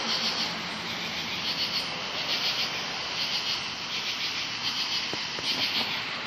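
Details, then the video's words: 17-year cicadas calling loudly beside bushes on a late evening, 6 August 2013, during their 17-year emergence; a dense, unbroken hissing buzz high in pitch that holds steady with faint rhythmic pulsing throughout. "Very LOUD NOISE CICADAS 8-6-2013.comes out 17 year"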